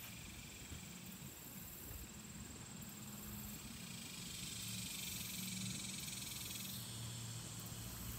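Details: In Jasper, Arkansas, a steady, shimmering cicada chorus buzzes high and continuously, swelling slightly partway through.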